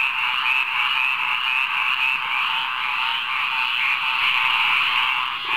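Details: Frogs singing together in a rainwater pond at midnight, a dense, unbroken, high trilling chorus that holds steady throughout with no pauses and no other sounds standing out.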